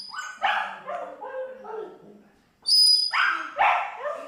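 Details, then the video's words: Pomeranian dog singing along to music, giving short yelping howls that slide downward in pitch in two bursts, separated by a pause, with a high steady musical tone sounding just before the second burst. "Pomeranian Dog Try To Singing When Listen To Music"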